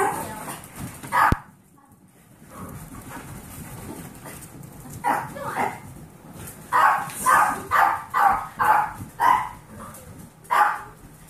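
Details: Indoor barking among foster dogs, Pomeranian Kirby aged 8 and Golden Retriever mix puppies aged 8 weeks: a sharp knock, near quiet, then a quickening volley of about eight bright yaps roughly two per second, one last yap after a pause.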